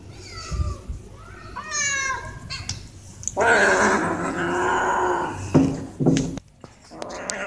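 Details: Cats climbing quickly toward food; short bent meows early on, then a long harsh, noisy cry lasting about two seconds, followed by sharp knocks and a brief final call.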